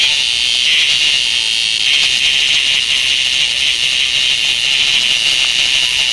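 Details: Handheld tonggeret cicada played with by a child, giving a continuous shrill buzz that pulses faintly in strength, with a brief soft voice near the start and a few faint clicks.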